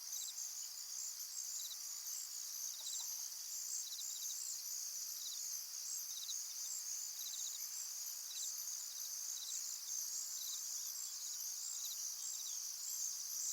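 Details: Crickets at a calm pond keep up a bright, sustained high buzz, while separate rapid chirp bursts repeat about once a second throughout, with steady faint background hiss.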